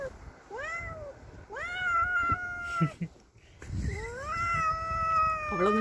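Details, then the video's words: Pet cat confronting a neighbour's cat that entered its territory: long, drawn-out yowls that rise and then hold steady, three extended wails with brief gaps, over low background rumble. "Cats fighting"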